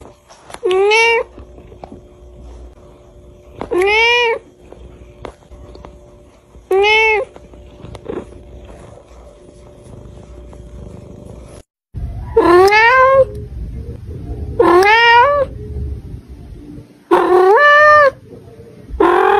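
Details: Cute little cats give clear meows with rising-then-falling harmonic contours, three spaced calls in the first half about every three seconds, then louder, longer meows follow in quicker succession after a short gap.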